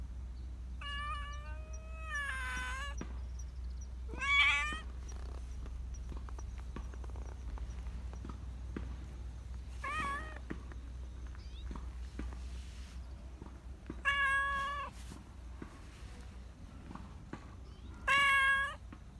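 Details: A black Persian cat, a park community cat, gives a series of drawn-out, wavering meows, craving attention and affection, over a steady low rumble.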